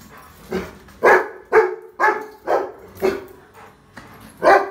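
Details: Rottweiler puppy barking at a trolley bag, a rapid run of about seven sharp, evenly paced barks roughly two per second, each short and punchy, indoors with little other sound.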